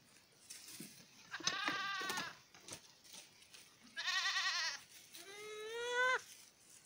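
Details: Miniature goat kids playing together at dusk on a farm: three loud, quavering bleats, each about a second long, the last rising slightly and ending abruptly, with soft rustling between calls.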